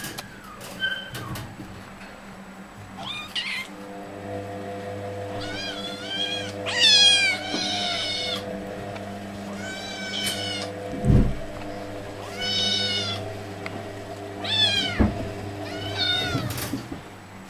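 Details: At feeding time, hungry tigers let out a series of high, warbling, downward-sliding mews roughly every two seconds. A constant electrical-sounding hum and occasional knocks are heard throughout.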